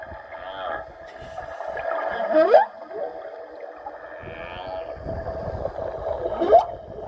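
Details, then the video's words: Humpback whale song, underwater: moaning tonal units with rising, whooping upsweeps. "we wanted to show you guys a little clip of this whale song"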